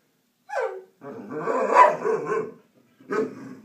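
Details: A pet puppy barks: a short sharp yelp, a longer rough, growly stretch of barking lasting about a second and a half, then one more short bark.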